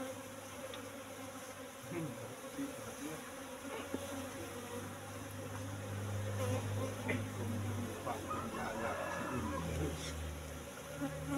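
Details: Colony of Asian honey bees in a cultivation box, brought from the forest around three months ago, disturbed while honeycomb is taken: a quiet, continuous low hum that strengthens toward the end, with occasional clicks and distant voices.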